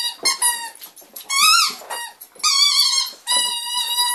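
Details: A female Staffordshire Bull Terrier gives high, squeaky whines, some held steady and some arching up and down, while playing with a squeaky toy.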